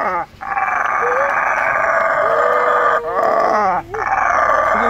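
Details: A 15-year-old female howler monkey gives loud, long, rough, droning roars with brief breaks for breath. She was rescued as an abandoned infant, now lives free and calls out to people, who talk faintly beneath.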